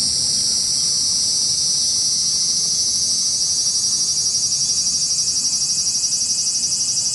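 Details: Cicadas in Japan fill the air with a continuous, high-pitched buzz that shimmers and pulses toward the end.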